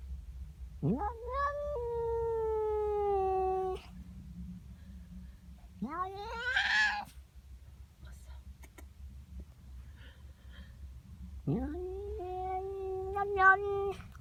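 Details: Female domestic cat voicing displeasure at a neighbour's cat in her garden one morning: three sweeping yowls that jump up sharply then hold a low drawn-out moan, spaced several seconds apart over steady low hum.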